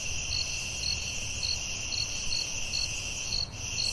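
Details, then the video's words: Crickets calling at night in a forest: short high chirps about twice a second, eight in a row, over a steady shrill insect drone and faint low rumble. "Soothing Cricket🦗 Sounds at Night"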